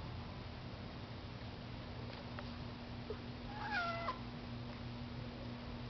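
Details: Pet cat meowing because it wants to go outside; one drawn-out wavering meow with stepped pitch changes midway, over a steady low hum and faint taps.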